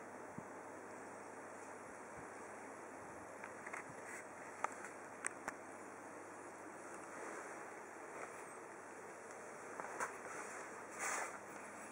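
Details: Quiet indoor hiss with faint rustles and occasional soft taps, no animal calls heard.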